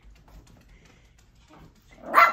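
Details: Puppies, among them Sage and Nami, one of four in a litter; after near silence with faint rustling, a single short, sharp, loud bark bursts out at the very end.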